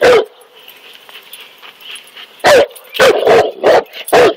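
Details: Cane Corso, a large guard dog breed of Southern Italian origin, barking at a king cobra; loud broadband barks, one at the start then a rapid burst of five from about 2.5 seconds, over a steady background hum.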